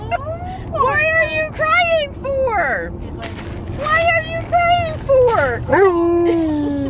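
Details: Alaskan Malamute in a car on a road trip, short wavering whining howls rising and falling in quick bursts, ending in a long falling note, over steady road noise.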